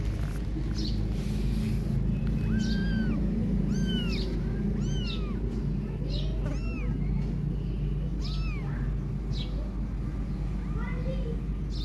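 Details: Kittens mew while their mother cat grooms them hard by licking; the kittens want milk instead. High, arched mews rise and fall, repeated roughly every second, over a steady low hum.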